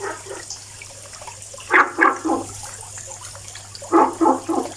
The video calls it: FROG SINGING VOICE making noise haha.